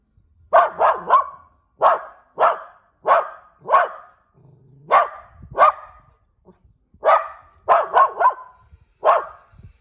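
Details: Puppy barking in bursts: high, sharp yaps in quick pairs and triples, with pauses between groups, a dozen barks over about ten seconds, recorded indoors with little background noise.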